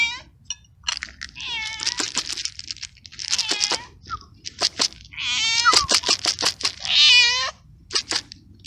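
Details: Feral stray cat abandoned in a garden, calling insistently while fed: a rapid run of short clipped meows and sharp clicks, with longer wavering cries around five to seven seconds.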